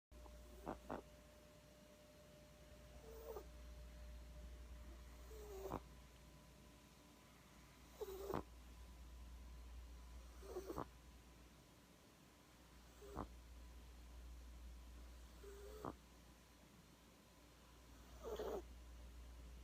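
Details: French Bulldog puppy, 12 weeks old, asleep indoors and snoring: soft breathy snorts with a faint nasal whistle, recurring roughly every two and a half seconds over a steady low hum.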